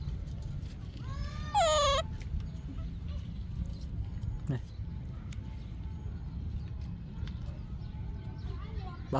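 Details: Yaya's baby monkey screaming for Yoyo's milk: one loud, harmonic-rich shriek lasting about a second that bends down then up in pitch, followed by low background rumble, faint scattered clicks and quiet Vietnamese speech.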